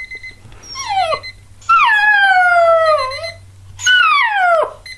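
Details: Revel, a Border Collie puppy, answers a beeping alarm clock with long howls, each starting high and sliding downward, one held about two seconds, while the clock's beeps continue between them.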